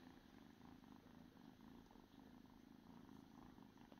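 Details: Domestic cat purring steadily: a soft, low, continuous rumble with a fine rapid pulse, unbroken for about four seconds, in a quiet indoor setting.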